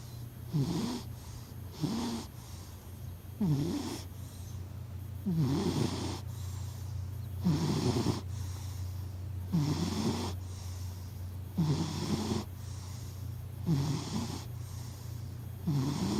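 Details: Domestic cat named Hachi sleeping, recorded close up; steady low snoring, each breath a rasping snore repeating roughly every two seconds, over a constant low hum in the room.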